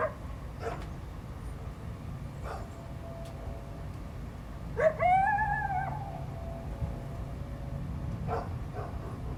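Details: On 12 February 2025, a coyote (Canis latrans) gives a short, rising, wavering territorial howl in response to a barking dog intruding on its territory.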